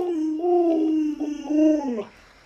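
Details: A pet Alaskan Malamute named Luoluo begs for watermelon by clinging to a leg, giving a sustained, wavering, talking-style whine that swells twice before dropping away indoors.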